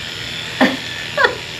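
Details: A female toy poodle, a "random screamer", gives two short, high, squealing yelps about half a second apart while being groomed and scissored.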